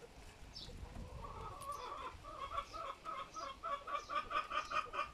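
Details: A guinea pig gives a run of short, squeaky tonal notes that quicken and grow louder, with babies born 20 June 2022 grazing grass and nursing from their mother.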